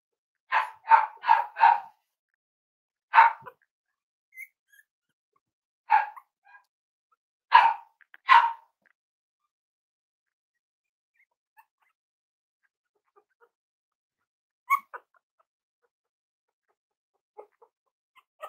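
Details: Cavalier King Charles Spaniel puppies, playing with each other and exploring, give a rapid burst of four high yaps, then single barks spaced a couple of seconds apart, fading into near silence with faint clicks and taps.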